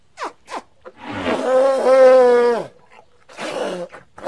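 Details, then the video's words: Playful baby elephant: a few short squeaks, then a drawn-out harmonic roaring hoot of about a second and a half that drops in pitch at the end, followed by a rougher short call. "A pretty baby elephant and such a defenseless hoot is not at all small"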